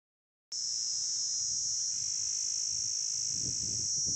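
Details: Cicadas in summer, a steady, loud, high-pitched electric buzz that switches on abruptly and holds without a break, with soft low rumbling and thuds underneath.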